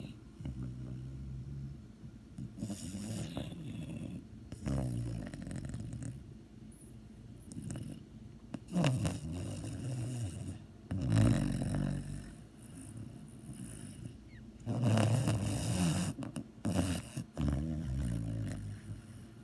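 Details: A dog snores in its sleep with irregular low, gravelly breaths, some louder snorting surges and quieter stretches between them.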